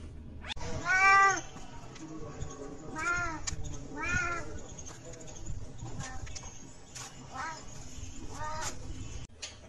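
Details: Cat meowing indoors: four drawn-out harmonic meows, the first loud and rising then falling, followed by softer arched meows about every two seconds, with faint background voices and a steady high hiss.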